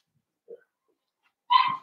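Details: Blenheim Cavalier King Charles Spaniel puppy, one of a litter of five born at New Year, in an indoor puppy pen: a faint soft note, then a single short loud bark near the end.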